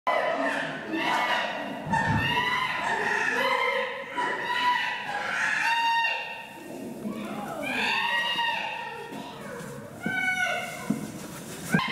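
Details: Kibali, a young male chimpanzee in a zoo enclosure, noisily challenges the leader Jambo just before feeding time: loud, harmonic hooting calls rise and fall in repeated bouts, with thuds and a sharp bang from smashing against the window.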